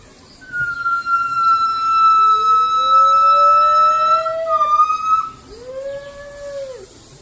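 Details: Gibbons at the Los Angeles Zoo, whose calls ring through the zoo: a long, steady, pure whistled tone with a slight dip near its end, overlapped by a lower voice giving slowly rising swoops, then a final rising-falling arc.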